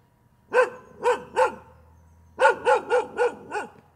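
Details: A dog barks repeatedly, three spaced barks followed after a short gap by a faster run of five barks, each bark sharp and evenly pitched.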